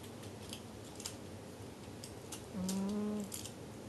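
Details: Sleeping pet cat Jigga gives one drawn-out, low, droning snore near the end, after quiet room hiss broken by a few soft ticks and taps.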